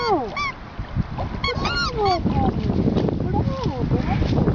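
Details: Emo, a cocker spaniel, on a first encounter with the sea, gives high, tonal whines that slide down in pitch in a quick run at the start, then fades under surf-like noise while people nearby speak Greek.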